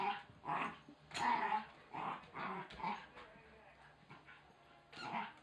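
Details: A Wire Fox Terrier puppy named Oscar worrying a chicken toy, giving several short, gruff growls spaced about half a second to a second apart, one sounding almost like a muffled bark.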